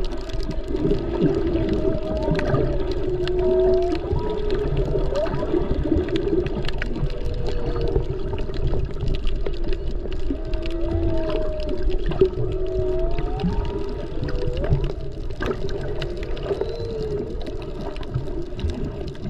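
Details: Humpback whales, mostly mothers with calves, heard underwater while snorkeling off Maui during peak humpback season over President's Day weekend, recorded on a GoPro: overlapping moaning, swooping tonal calls rising and falling, over constant water rush and crackle.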